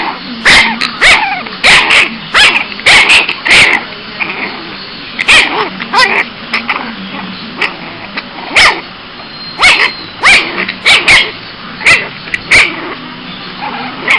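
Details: A cranky male Boston Terrier puppy gives sharp, high-pitched yaps in uneven bursts, with small growly whines between.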